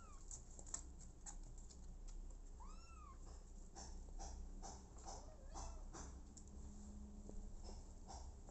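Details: Abandoned kitten later adopted by mother cat Smokey; a few arched, tonal meows, one clear rising-falling cry near the middle and a fainter one later, over steady low hum and scattered handling clicks indoors.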